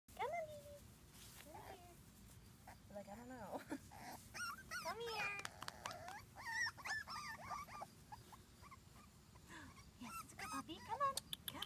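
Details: Several young Wheaten Terrier puppies out exploring, giving high, thin arched whimpers and squeaks in scattered bursts while a woman softly coaxes them along with encouraging talk.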